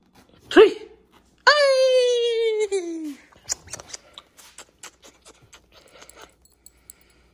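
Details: Siberian husky, a playful indoor pet, playing with its owner: a sharp yelp, then a long drawn-out moaning howl that slides downward for about a second and a half, followed by clicks and scattered small noises in a small room.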